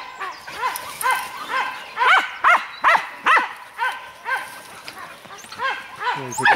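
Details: Dachshunds holding a wild boar during a hunt in France; repeated arched yelping barks at an irregular, quick pace, some louder and closer, ending with a brief human voice.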